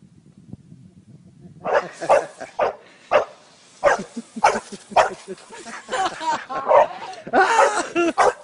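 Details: Dog playing on a trampoline, giving a run of loud, sharp barks every half second or so, rougher and denser toward the end, with bouncing thuds and people's voices mixed in.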